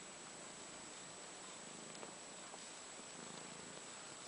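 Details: British Shorthair kittens, 12 days old, purring together with their mother indoors: a soft continuous low rumbling purr under steady broadband hiss and a constant high electronic whine.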